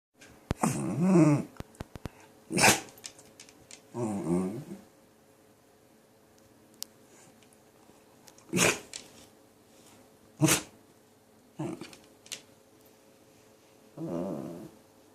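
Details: A pet dog fussing indoors after sneezing, with short whimpering and whining bursts, some sharp sneeze-like snorts, in scattered groups of about one second across fifteen seconds, quiet pauses between.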